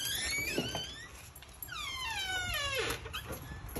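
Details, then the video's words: Monroe, a Husky, whining to show she wants something, sitting and staring at her owner indoors; two high, squeaky whines that slide downward, the second longer with many stacked overtones, over low room noise. "What Does She Want?"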